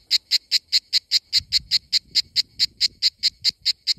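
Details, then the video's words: Greek summer cicada chorus: rapid, rhythmic rasping buzzes about five per second, bright and high, evenly spaced throughout, over a soft low rumble in the middle. "Sound of Greece in Summer ❤️🇬🇷 - Cicada"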